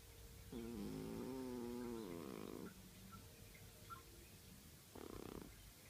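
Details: Sleeping cat snoring: a drawn-out, droning breath with a wavering tonal whine lasting about two seconds, then a quieter pause and a short rasping breath near the end, against a steady hiss.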